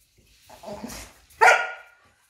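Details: A dog confrontation between a fearless tiny Papillon and a Belgian Malinois, which she corners. After a soft, rough grumble, one sharp, bright bark rings out near the end, indoors.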